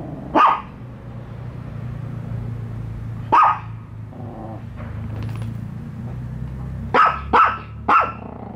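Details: Dogs Bico and Faith bark at a newly introduced toy dog: two isolated barks, a quiet gap with a low steady hum, then three quick barks in close succession.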